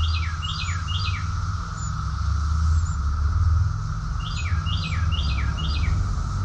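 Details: Summer cicadas in chorus at Rockville, Maryland, USA, June 2021, holding a continuous even drone. Over it a songbird gives two bursts of four descending slurred notes, plus scattered thin high chips.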